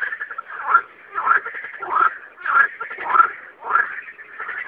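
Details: Night-time frog chorus, with harsh, buzzy croaking bursts about every half second to second, rising and falling in loudness against continuous rattling calls.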